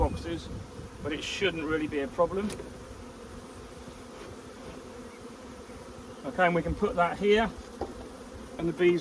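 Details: A huge honey bee swarm arriving gives a steady low hum with no clear pulses, filling the long gap between bursts of a man's voice at the start and end.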